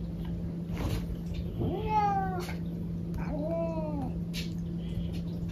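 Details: Pet cat inside a home meowing twice: a drawn-out, slightly bending cry, then after a short pause a second falling meow, with a constant low hum in the background.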